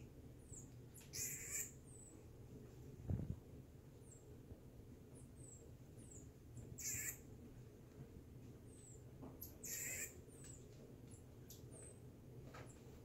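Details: Marmoset Reggie during play, uttering scattered high, brief chirps and downward-sliding squeaks every second or two, broken by a few loud broadband scuffling bursts and one low thump, against a constant low hum.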